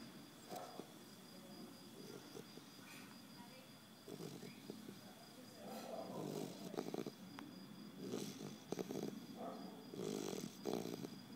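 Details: A sleeping three-month-old Basset Hound puppy snores softly in low, rough, breathy bursts.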